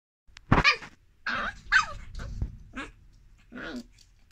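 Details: Corgi puppy giving a series of short, harsh yips and barks, about five separate bursts spread over four seconds with quiet gaps between them, the first loudest and the later ones softer and breathier.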